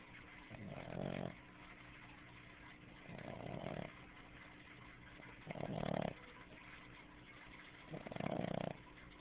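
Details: A sleeping female Boston Terrier named Snooki snoring loud, throat working like a frog's; four rough, buzzing snores arrive steadily about every two and a half seconds, each under a second long, with soft breathing between.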